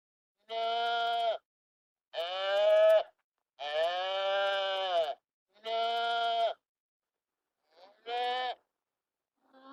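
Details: Farm sheep bleating: five drawn-out, clear harmonic bleats, each about a second long, separated by short silences, with the last one shorter and preceded by a faint quiet sound.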